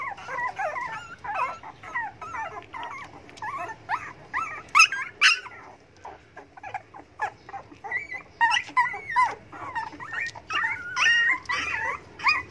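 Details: Begging dogs, hungry for food, keep up a busy chatter of whining yelps and whimpers, more than two a second, irregular, with a few sharper yips standing out midway.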